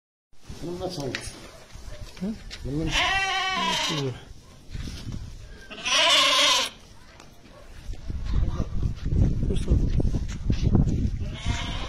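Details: Montbéliarde cow with her calf at El Jadida: two harmonic, slightly wavering lows about a second long each, the second shorter and brighter, with a man talking and shuffling farmyard noise between them.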